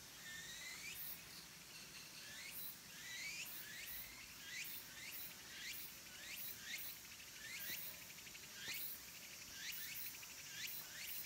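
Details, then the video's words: Cicada song at a Japanese mountain temple, Kabusanji in Takatsuki, as summer ends. Rapid repeated high swooping chirps, each sliding downward, come in bursts about once or twice a second over a faint background hiss. "Cicadas' voice"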